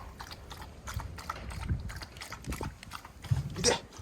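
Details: Dobermann puppy playing in a garden gives a sudden, human-like sneeze or retching sound: a run of short, harsh, noisy bursts repeating in quick rhythm, with a worried person's voice nearby.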